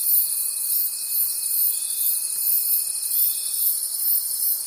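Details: Crickets calling at night in a forest: a dense, high-pitched shimmering chorus pulsing about three times a second, with a steady thin whine running underneath until near the end.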